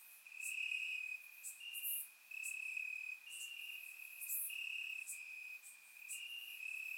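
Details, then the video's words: Crickets chirping in grass on a warm summer night in Bulgaria, captured with a surround microphone: a steady high trill with overlapping bursts of sharper, higher pulses from several insects, no other sounds. "Cricket Sounds - Crickets Chirping at Night"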